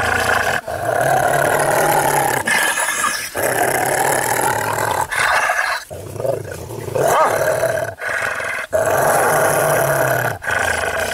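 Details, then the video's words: Rottweiler snarling in anger, sustained harsh growls in long bursts separated by brief breaths, rough and rumbling throughout. "ANGRY ROTTWEILER"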